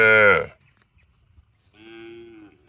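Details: A cow gives a loud, rough bellow that drops in pitch over half a second. After a pause comes a softer, steadier, even-toned moo lasting nearly a second, with a low rumble of background noise.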